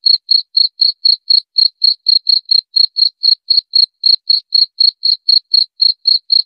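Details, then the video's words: Shrill cricket chirping, presented as a rat repeller: single high buzzy pulses repeated about four times a second in an even, continuous series over a silent background. "Suara Jangkrik"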